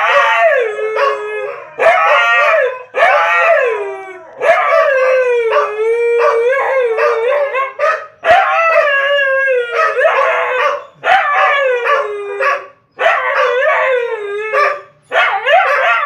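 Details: Siberian Huskies howling together with the pack: several overlapping voices in long, wavering, yodel-like howls that slide up and down in pitch, phrases separated by brief pauses every one to two seconds.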